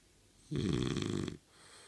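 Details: French Bulldog named Kotetsu, snoring as if asleep while his eyes stay open, possibly pretending to sleep; one rough, buzzy, low snore lasting under a second, rich in deep harmonics, in a quiet indoor room.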